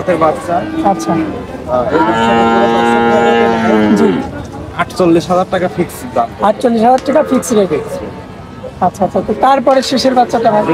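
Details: Bull calves at the Oronkola livestock market after Eid: a long, drawn-out moo rich in harmonics swells for about two seconds, followed by busy market chatter and shouting voices.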